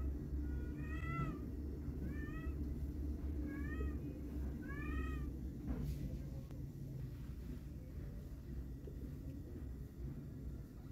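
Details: A fawn-coloured fluffy kitten, eager to head outside with its mother cat, lets out four high, arching meows in quick succession over a low background rumble, then falls quiet.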